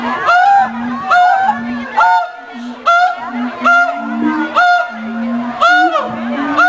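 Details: Captive mated siamangs at the Columbus Zoo duetting to mark territory and strengthen their bond: loud honking whoops about once a second, each sliding up then down, over short low steady hoots.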